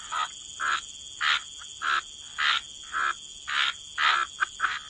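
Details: Frogs croaking at a wetland waterside, loud harsh croaks spaced roughly every half second in a regular rhythm, each short and rasping, over a faint constant high-pitched hum in the background.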